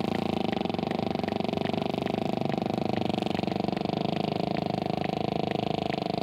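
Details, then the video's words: Sperm whale clicking underwater, distinct sharp clicks spaced evenly about twice a second throughout, over a constant low droning hum. "Sperm Whale Making Clicks & Low Grunts"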